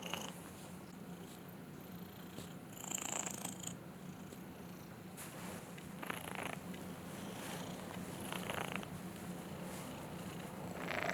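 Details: Purring from the cat Lil BUB, just roused from a snoring sleep: an even, deep, unbroken purr throughout, with soft rustling bursts at about three seconds and again between six and eight seconds.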